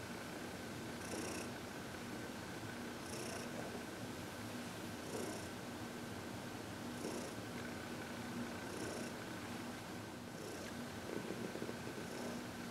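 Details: Heidi, a 14-year-old senior cat adopted from the Humane Society of New York City, purring contentedly during massage and reiki on February 22, 2021; soft low rumble with faint breathy bursts roughly every two seconds over a steady indoor hum.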